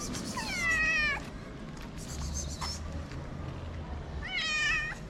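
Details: A hungry stray street cat in Morocco, sniffing at the camera, gives two clear, wavering meows. One comes early and one near the end, with quiet street background between them.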